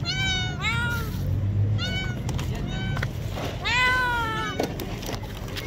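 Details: Homeless street cats crying out in hunger for food: three long, loud meows, each a high wavering wail that sweeps down at the end, spaced about two seconds apart, with a constant low rumble and faint voices behind.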